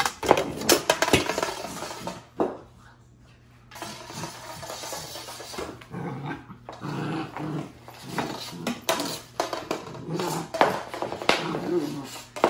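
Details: Puppy, fond of a yard broom since seven weeks old, dragging a broomstick around a living room and playing roughly; low, irregular growls mixed with scraping and clattering bursts from the broom, with short quiet gaps.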